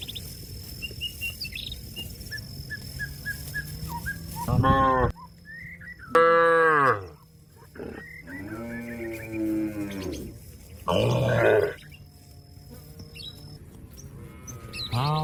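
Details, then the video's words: Cattle calling to companions so they return to the pen: five or six drawn-out, rich moos of varying length spaced a few seconds apart, some rising and falling in pitch, with faint bird twitters in the background. "suara sapi memanggil kawan untuk pulang kekandang nya"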